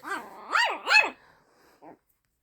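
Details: Luna, a pet dog, barking at another dog, Daisey, for the first time: three high, rising-and-falling yelping barks in quick succession, then a short faint yip, with a person calling to her nearby.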